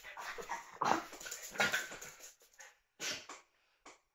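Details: Puppies playing, giving short whining yelps with clear tonal peaks, the strongest squeal near the first second and another soon after, then a few brief separate yelps among scuffling noise.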